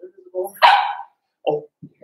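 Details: Blenheim Cavalier King Charles Spaniel puppy from a litter of five born at New Year's, in an indoor puppy pen on pick-up day: one short, harsh bark sliding downward in pitch, framed by soft whimpers and brief yips.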